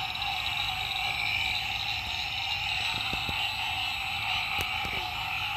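A dense chorus of green treefrogs, many nasal honking calls overlapping into a steady, ringing wall of sound.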